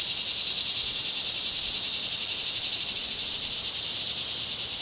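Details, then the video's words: Cicadas in summer: a continuous high, hissing drone held at a steady level throughout, with no other clear sounds. "Cicada Summer"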